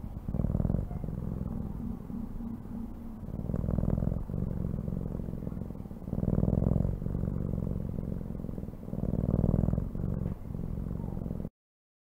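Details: Rumbling cat purr pulsing in slow waves, stronger swells every few seconds as the animal breathes, ending abruptly in silence.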